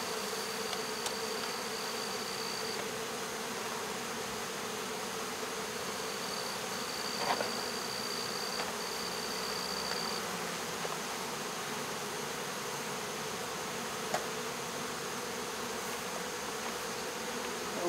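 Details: Honey bee swarm caught and removed from local baseball fields, August 2014. A continuous buzzing drone holds steady throughout, with a faint thin high tone coming and going and occasional light taps.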